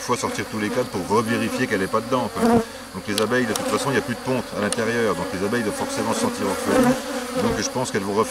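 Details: Many honey bees droning at an opened drone-laying hive on 3 May 2021 during a rescue, with a brood frame and nurse bees brought from the next hive; steady layered hum whose pitch sways up and down, with a few soft knocks.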